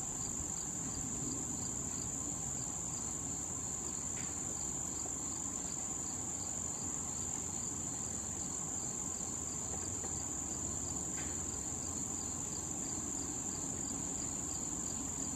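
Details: Late-summer cricket chorus near blooming wild thistle with bees and butterflies, a continuous shrill high drone overlaid by evenly spaced faint pulsing chirps, plus a couple of brief clicks and a low steady hum.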